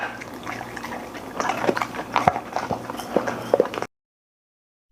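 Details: A golden retriever eats with wet, smacking chews and several louder crunching bites, set against a low steady hum, before the sound cuts to silence near the end.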